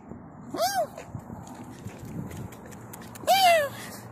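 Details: Kitten meowing twice about three seconds apart, each call a short arched cry that rises and then falls, with faint room noise and tapping between the calls.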